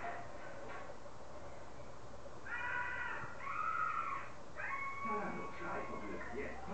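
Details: Four-week-old Yorkshire Terrier puppies give thin, whiny squeals in a burst of overlapping calls, followed by a longer, drawn-out whine, over a steady low background hum.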